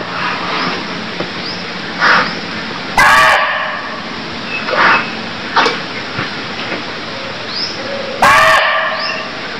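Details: Cambodian deer calls: two loud, rough barks about five seconds apart, with quieter harsh notes and small rising chirps scattered across a hissy background.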